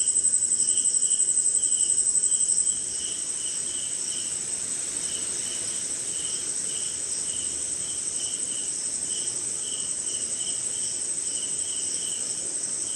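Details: Crickets and other insects calling on a short rainy night somewhere in India: a steady, piercing high whine with a faster pulsing trill on top for the first three seconds, plus lower chirps in short bursts about twice a second over a soft rain hiss.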